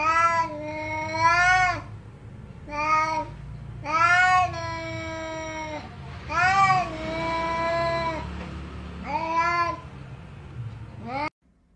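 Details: Domestic cats meowing loudly, seven drawn-out harmonic meows in about eleven seconds, each rising then falling, some long and level, separated by short pauses, with a low background hum.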